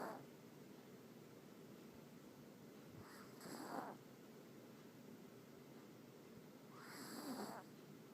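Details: Loud snoring from Teddy, a dog fast asleep: two drawn-out, rasping snores about four seconds apart, each swelling and then fading, over soft room hum.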